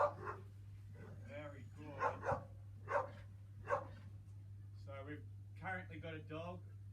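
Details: Another dog barks repeatedly in short harmonic bursts during a desensitisation session for dog-reactive dogs, who choose not to join in; a trainer talks calmly throughout over a steady low hum.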